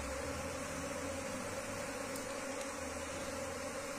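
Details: Steady, droning hum of an Asian honey bee colony as the wild swarm is transferred into a cultivation box, with a low rumble underneath and light hiss.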